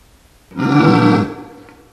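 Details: At night in a forest during the rut, a red deer stag a few metres away gives a single deep, harmonic bellow under a second long, a roar calling other males.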